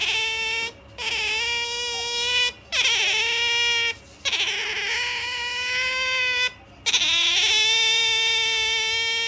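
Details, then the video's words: MaiJi the otter whines as she gets ready to sleep. Four long, level, high-pitched squeals, each a second or more, are separated by short silences, and some start with a quick downward slide. "Otter MaiJi makes such a pamper noise when she was about to sleep"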